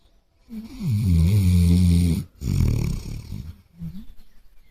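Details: A Basset Hound asleep on a sofa with his head on a pillow snores in deep, rumbling breaths with a short pause between them, a few minutes after falling asleep.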